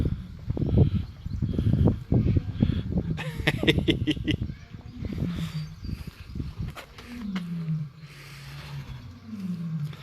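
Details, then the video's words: Lions at a wildlife park in spring, roaring in the background: low grunting calls with falling tones near the end, while a man talks over them and some clicks and knocks are heard. "So if you can hear in the background, that's the lions."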